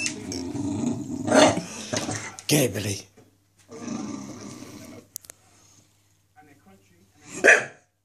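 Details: Indoors, a Staffordshire Bull Terrier barks at a wire: a few gruff, broadband barks early on, a quieter growly passage, and one last sharp bark near the end, mixed with human speech.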